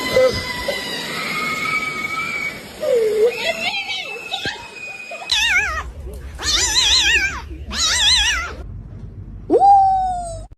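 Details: Cat uttering a run of wavering, yowling caterwauls, several warbling calls in quick succession followed by one final long falling meow, with faint background noise.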